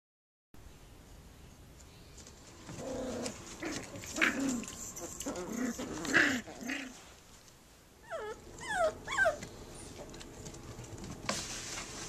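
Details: Puppy at play indoors, giving low soft growls and grumbles through the middle, then a quick run of high rising-falling yips and whines near the end, with faint household noise behind.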